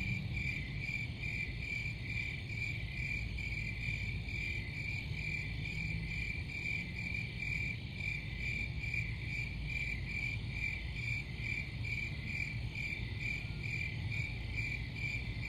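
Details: Continuous cricket chirping: a shrill, tightly pulsed tone repeating about twice a second, with a deep steady rumble underneath throughout.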